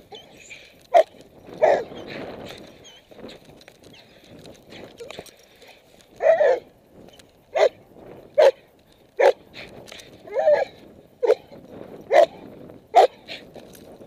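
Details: Puppy during protection training, giving a series of short sharp yips and barks at irregular intervals, about a dozen over fourteen seconds, with a man's voice giving guidance in between.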